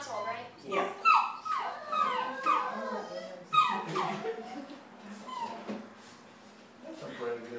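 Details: Shadow, a young Great Dane at a veterinary visit, gives a run of falling, whistly whines in quick succession. They fade toward the end while voices chat in the background.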